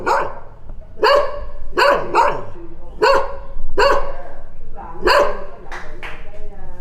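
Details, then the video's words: Dog barking steadily, one loud gruff bark roughly every second, occasionally a quick double bark, with a faint low murmur underneath. "صوت الكلاب//The sound of dogs"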